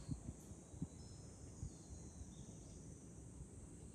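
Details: Cicadas singing in July on a hilltop overlooking Fukuoka city, Japan: a steady, high, hissing drone runs unbroken through the clip, with low wind rumble and a few soft knocks underneath.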